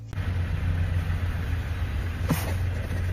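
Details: A car engine hums and rumbles steadily, with a brief sharp knock midway and no animal sound.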